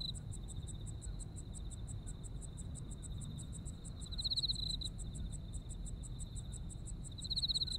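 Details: Autumn insects in Japan, heard for relaxation: a steady high chirping with rapid pulses repeating all through, and a louder trilling burst near 4 and 7 seconds, over a low background rumble.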